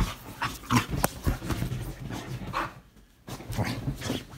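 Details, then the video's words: Excited female Bull Terrier celebrating being allowed onto the bed: low grunting snorts and growly huffs in irregular bursts, dropping to a brief near-silent pause before the snuffling resumes. "Bull Terrier going crazy getting to sleep on the bed."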